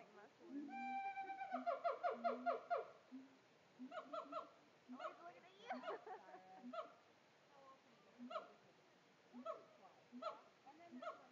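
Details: Captive siamang at Tampa Zoo, putting on a show: a fast series of loud, harmonic, whooping barks repeated about twice a second, then irregular shorter hoots and barks with gaps, with human voices in the background.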